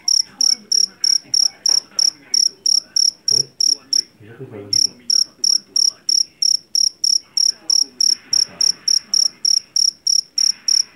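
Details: Field cricket, a loud-voiced jangkrik jeliteng (Javanese cricket) caught in a rice field: shrill, high chirps repeated steadily about three per second, briefly pausing near the middle, with faint low background rumbles.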